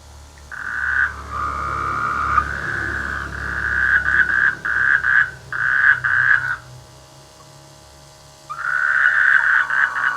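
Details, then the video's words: Rainy-season frogs calling from village rice fields, giving long trains of fast pulsed croaks that break into short bursts, then pause before resuming, over a steady low rumble of background noise. "The sweet sound of frogs in the rainy season"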